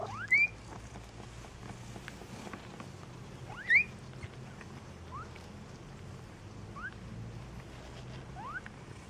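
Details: Maine Coon kittens at a Saint Petersburg cattery in Russia give thin, rising squeaky mews. Two loud calls come about three seconds apart, then softer, shorter upslurred ones follow over a steady low hum.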